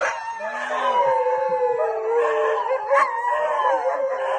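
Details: Dogs howling at a school bell: drawn-out, wavering tones held for several seconds, sliding gently up and down, with a layered, overlapping quality.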